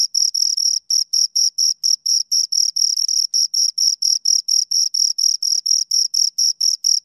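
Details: Two crickets give sharp, high chirps in quick succession, about four each second, with a brief irregular gap near the start before the regular pulsing resumes; quiet background.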